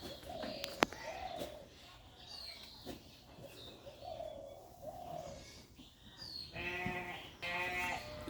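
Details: Sheep arriving back at the farm from pasture and starting on grain feed; several short, nasal bleats through the middle, then two louder, harmonic-rich bleats near the end, over farmyard noise and a man calling them in.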